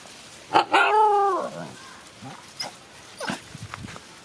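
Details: Dog kept as a night protector, barking while guarding; a single drawn-out, tonal bark-whine lasting about a second, followed by faint scattered yelps and clicks over a quiet outdoor background.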